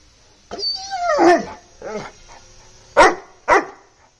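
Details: Bully Kutta in a cage giving a drawn-out whining, falling yelp followed by two short, sharp barks about half a second apart.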